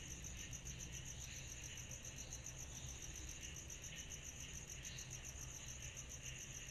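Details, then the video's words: Summer-night cicada chorus: a fast, steady stream of shrill ticking pulses runs throughout, over a hazy mid-range hiss and a constant low hum. "Summer Night Cicadas Sound Effect"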